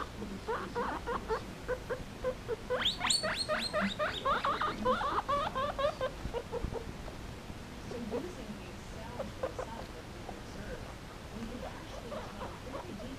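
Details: Pair of pet guinea pigs at play around an old slipper; quick repeated squeaking notes, a loud rising burst of stacked high squeals near the middle, then softer scattered chirps with rustling.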